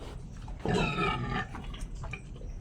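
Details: Sow (inahing baboy) with a wounded foot that she cannot step on properly, her keeper fearing she may not manage another pregnancy; one loud, drawn-out harmonic grunt lasting under a second, over a steady low hum with faint clicks around it.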